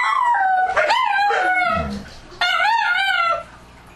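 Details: Dogs howling at night: a loud wavering howl bending up and down, a rough break, then a second strong howl rising and holding before fading out.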